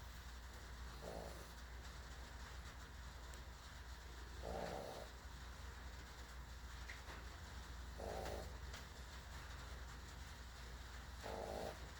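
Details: Sleeping dog snoring, soft rasping breaths recurring about every three and a half seconds, four snores in all, over a steady low background hum.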